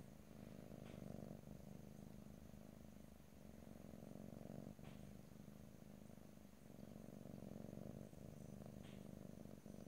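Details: Cat purring continuously: deep, throbbing rumble made of rapid even pulses, gently louder and softer with each breath, a few faint high ticks in the background; stereo, no voices.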